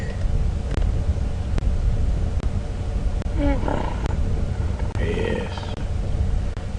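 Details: On an afternoon safari drive at Djuma Game Reserve on April 10, 2015, two hippos at a dam give deep growling rumbles amid splashing in a suspected conflict, perhaps growling at the vehicle, with a person talking over them.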